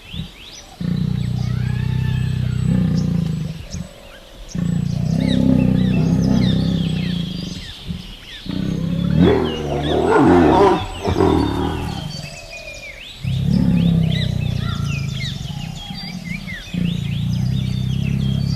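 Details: A tiger (Panthera tigris) gives deep, rumbling roars and growls in long, throaty bursts with brief pauses between; finding: Tiger.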